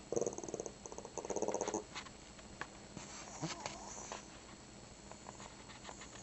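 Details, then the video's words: Shih Tzu indoors making 'talking' growly vocalizations meant to sound like 'grandma': two pulsed, harmonic bursts in the first two seconds, then quieter faint noises and a person's voice. "Talking Dog Says Grandma"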